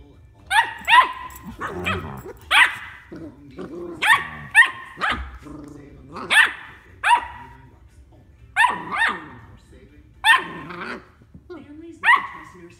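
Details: A female Golden Retriever puppy gives high, sharp barks in quick pairs and triplets, showing off her barks to her brother.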